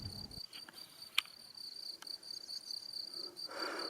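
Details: Crickets, or perhaps grasshoppers, heard in April 2018 beside the street up to St. Koloman near Salzburg: a continuous, thin, high-pitched steady trill runs throughout, with a sharp click and a brief rush of wind or traffic noise near the end.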